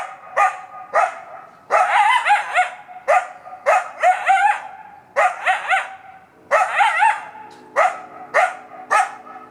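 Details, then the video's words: Coyote barking almost non-stop from woods beside a fire road in Buena Vista Park, Sunday morning, 7 May 2017: sharp yelping barks with wavering, rising-falling tones, in quick clusters and singles about every half second. "Coyote Barking in Buena Vista Park"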